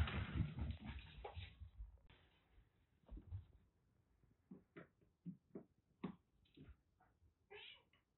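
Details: Two female kittens, about three and a half months old and rescued from a hot attic in Kagoshima, Japan, seek affection indoors. A burst of rough, noisy handling comes first, followed by a run of short, clipped mews repeated roughly every half second.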